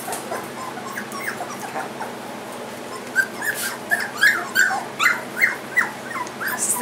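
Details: Three-week-old Goldendoodle puppies in a litter marked with coloured ribbons whimper; after three quiet seconds come about eight short, high, rising-falling whines in an uneven series, with soft background rustle and a person talking.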